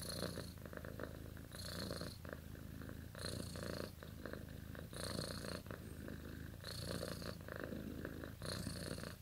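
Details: Domestic cat asleep and dreaming, purring in a low continuous rumble that swells with each breath, about every 1.7 seconds, each swell adding a hissy airy edge; quiet indoor setting.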